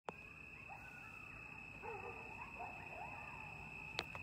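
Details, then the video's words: Wild coyotes at Lake Mendocino, late at night in mid-October 2022, recorded from a porch overlooking the lake: faint wavering howls and short yips in the distance, under a steady high-pitched whine, with a sharp click near the end. "Coyotes (Canis latrans) at Lake Mendocino Like I’ve Never Heard"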